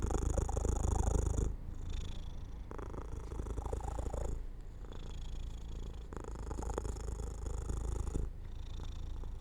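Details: Domestic cat falling asleep by an open window in sunlight, purring in a low, steady rumble of rapid pulses, broken into breath-length phrases with short gaps roughly every one and a half to two seconds; faint steady hum in the background.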